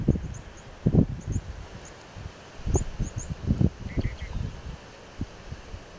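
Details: Herd of impalas chewing the cud in Kruger National Park; low, muffled thumping bursts come in irregular clusters, with faint high chirps from small birds overhead.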